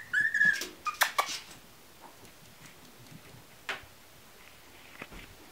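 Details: Chihuahua puppies at the Valentra Star kennel, indoors: a brief burst of high, thin whimpering squeaks in the first second, then a quiet room with a few soft knocks and taps.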